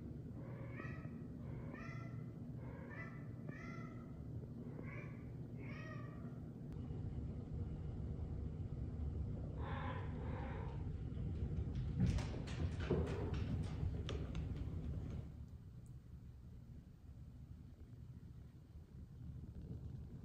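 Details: Pet cat indoors at night, between 1 and 1:30 am, hunting her fish toy and calling with it in her mouth, caught on a home security camera. Six evenly spaced, muffled, tonal meows open the recording, followed by a lower call, then clicks and thumps over a steady hum.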